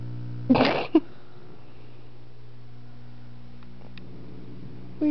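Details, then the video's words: Two-year-old, 125-pound Doberman Pinscher Alyuss, annoyed by an almost four-month-old puppy named Nerria, gives one short, rough, throaty grunt and then a brief huff, followed by quiet with a steady low indoor hum. "Nerria making Alyuss grunt"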